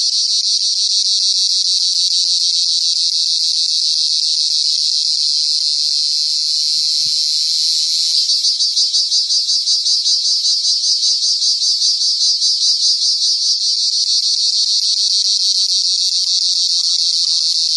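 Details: Cricket with a loud, continuous, high-pitched shrill trill held without pause for nearly eighteen seconds, its steady buzz turning faintly pulsed and throbbing in the second half; no other sounds stand out.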